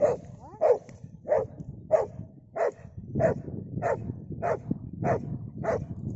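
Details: Pit Bull barking while fighting a Komodo dragon: short, clipped mid-pitched barks repeated steadily about every half second, ten in a row, over a low rumbling background.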